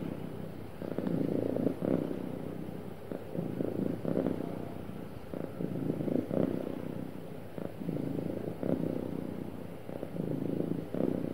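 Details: A cat purring happily and smoothly, long low rumbling phrases that pulse in regular breaths, swelling and easing every second or two over a quiet background.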